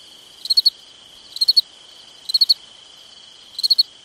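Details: Cricket chirping at night in summer, each chirp a quick run of three or four bright pulses, spaced just under a second apart, above an unbroken high ringing trill.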